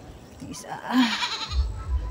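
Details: Bleat from one of three playful goats after their bath, set out in mild sunshine to dry before brushing; a short, wavering bleat rises over a human voice, with low rumbling noise underneath.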